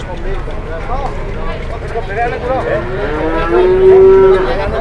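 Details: Cow at a market, a large animal lying lazily and refusing to get up amid an uproar, gives a drawn-out, steady low moo near the end, with other wavering bellows and crowd noise around it.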